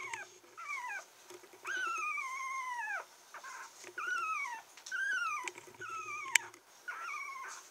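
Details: Red female Toy Poodle puppy, 22 days old on 30 August, born 8 August 2014, in Kochi, Japan: a string of thin, high whining whimpers, each sliding downward, some drawn out over a second, with short pauses between.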